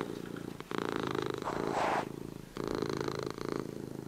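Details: Sleepy domestic cat purring indoors; a steady, fast buzzing rumble in long breaths, pausing briefly between them, with a soft breathy hiss near the middle.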